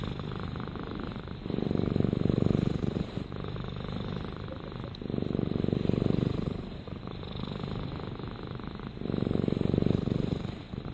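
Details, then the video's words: Domestic cat named Rama purring soothingly, a low continuous rumbling purr that swells in bouts of about two seconds, separated by quieter pauses, with steady faint background hiss. "Rama Purrs"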